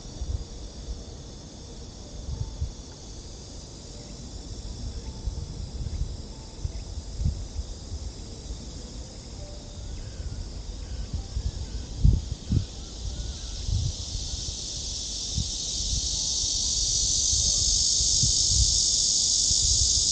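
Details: Summer cicada chorus along the lakeside trail of Gwanggyo Lake Park, Suwon, Korea, on 16 August 2022: a faint high hiss swelling into a loud, steady shrill buzz in the second half, with footsteps and low rumbling noise beneath.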